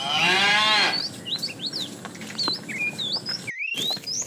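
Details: Tame herd of cows heading for fresh pasture; a single loud moo opens, then gives way to steady chirping and twittering of small birds.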